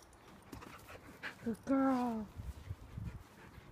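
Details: River, a very energetic Husky, jumping and playing, gives a single drawn-out whine lasting about half a second that slides gently downward in pitch, with soft rustling and handling noise around it.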